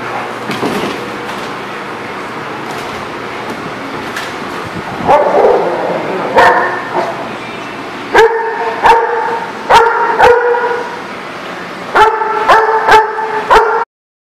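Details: Dogs barking, recorded 6/10/19: scattered sharp knocks at first, then loud clustered barks with clear ringing tones in bursts around the eighth and twelfth seconds, separated by sharp percussive clicks.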